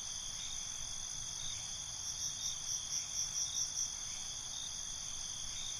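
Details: Crickets at night: a constant high trill carries on while a brief run of about eight quick, high chirps rises out of it in the middle, then fades back into the steady chorus.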